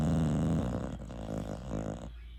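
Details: English Bulldog snoring while asleep: a low, throaty, rattling rumble, loudest at the start, then a run of pulsing raspy breaths that fade near the end.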